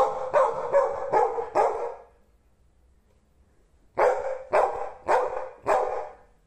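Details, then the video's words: Golden Retriever barking: a quick run of five sharp, loud barks, a pause of about two seconds, then four more evenly spaced barks, each a short broad burst with no other sounds. "Golden Retriever Barking Sounds To Make Your Dog Bark | Aggressive Growling"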